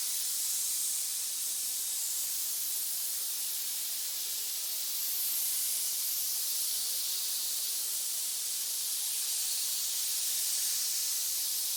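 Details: Continuous snake hiss, a dense breathy rush of high-pitched noise holding level for nearly twelve seconds, slightly swelling at times, nothing else audible.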